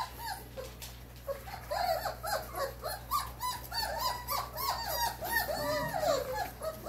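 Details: Four-week-old German Shorthaired Pointer puppies whining and whimpering in a busy chorus, rapid overlapping high, wavering cries about three per second, louder toward the end, over a low steady hum.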